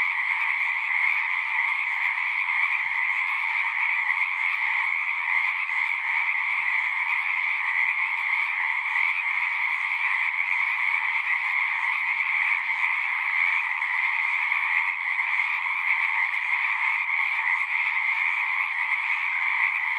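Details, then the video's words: Many frogs calling at once in natural surroundings, their croaks fusing into a constant shimmering drone in two pitch layers, unchanging in volume, without birds, wind or people. "One hour of singing frogs."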